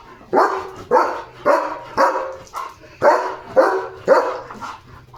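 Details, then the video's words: German Shepherd dog barking at the gate at a dog outside during its evening barking duty: a steady series of eight loud, rough barks, about one every half second. "He looks so fierce at the gate — barking and dancing at the same time!"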